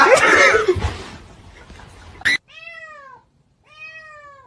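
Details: Domestic cat giving two clear, drawn-out meows, each slightly falling in pitch with a short pause between, after a loud, jumbled burst of indoor noise and a brief sharp click.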